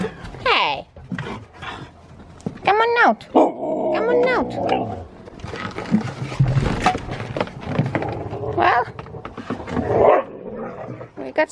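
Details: Huskies come out to play in new snow while a person greets them. The dogs give several short, arching whines that rise and fall, plus scattered yips and grumbles mixed with cheerful speech.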